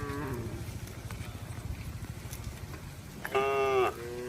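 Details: Roaming cattle on a road: a faint falling moo at the start, then one loud, tonal moo of about half a second near the end. Soft engine noise and scattered clicks fill the quiet gap between them.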